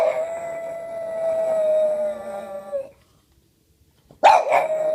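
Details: Boston Terrier mimicking a sound: a long, steady howl lasting nearly three seconds that fades out, a brief silence, then a sharp new howl starting abruptly.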